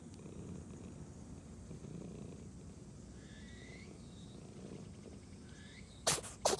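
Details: Orange-and-white domestic cat being stroked, purring in a low steady rumble for six seconds, then two sharp explosive sneezes in quick succession at the end; faint chirping of birds in the background.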